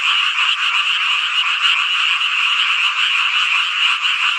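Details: Massed frogs calling on a hot summer night in Hongcheon, Gangwon-do, South Korea, forming a thick steady trill of rapid overlapping croaks that never pauses.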